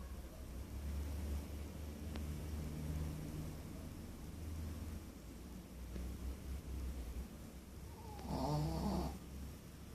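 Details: A Pekingese dog snores indoors with a steady low rumbling breath that keeps repeating, then swells into a louder, rougher snort near the end.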